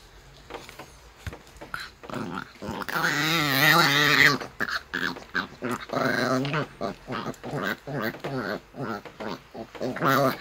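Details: Annoyed Maltese called Bom protesting during brushing in a small room: a loud sustained warbling groan-growl, then a string of shorter wobbling grumbles repeated every second or so.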